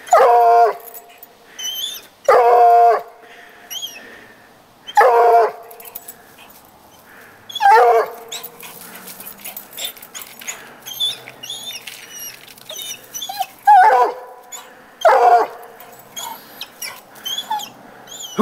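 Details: Coonhound Petey baying at the neighbour's cat he has treed, loud drawn-out harmonic bays roughly every two to three seconds, with high bird chirps between them.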